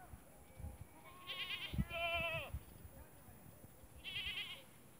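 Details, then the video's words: Farmed goats in the Thar desert of Tharparkar, Sindh, Pakistan, giving several quavering, tremulous bleats spaced over a few seconds, one lower and drawn-out, amid faint thumping and a steady background hum. "Goats Farming in Desert Thar"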